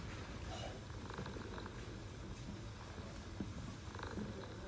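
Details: Stray mother cat in Istanbul purring to her kittens: a continuous deep, throbbing rumble, even and unbroken, with soft outdoor urban ambience behind it.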